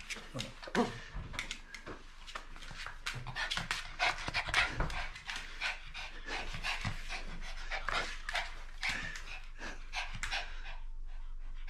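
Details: Papillon dog named Meru, very excited just before a walk, panting fast and breathily in quick broadband puffs for the whole stretch, with faint indoor rustling in the background.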